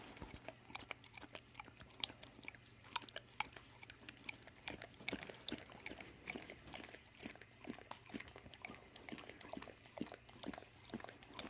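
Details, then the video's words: American Staffordshire and American Bulldog mix named Dawg licking peanut butter as an evening snack indoors: rapid, irregular wet smacks and tongue clicks, roughly two per second, with a faint steady low hum underneath. "Dawg, the American Staffordshire and American Bulldog Mix Pitbull - and Peanut Butter"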